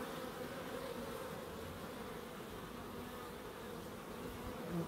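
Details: Bees in a small wildlife garden at an end-terrace house in Crookes, a steady diffuse hum of many wings at low volume, with faint drifting tones around the mid-low range and no other clear sounds.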